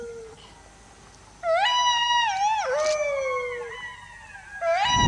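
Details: Wolf howling: long, smooth harmonic howls that start abruptly, waver slightly, dip, then hold steady before a fresh howl begins near the end.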